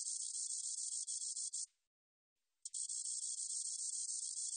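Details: Spotted meadow katydid in a 2020 Korean recording produces a high, dry, rattling buzz of quick pulses for about 1.7 seconds, falls silent for roughly a second, then starts another steady sizzling run.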